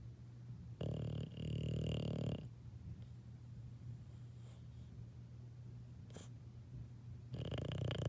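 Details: Sleeping English Bulldog puppy: one raspy snore lasting over a second, a long quiet stretch of soft breathing and low hum, then another snore starting at the end.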